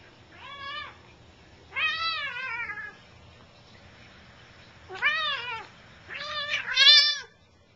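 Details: Bengal cats at play indoors, the big cat Gram making most of the noise while a kitten keeps chasing him; loud drawn-out meows with wavering pitch, four calls spaced over several seconds, the last rising higher and overlapping a second voice.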